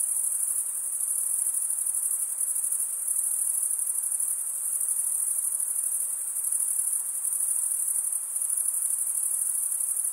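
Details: Stridulating male crickets chirp together in a sustained, thin, high-pitched trill. The sound pulses finely and rises and falls slightly in loudness, and no other sounds are heard beyond faint hiss.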